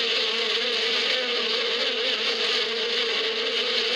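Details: In spring in the badia steppe, bees keep up a loud, steady hum. The droning is thick and continuous and carries a bright whine on top, with no break and no other sound.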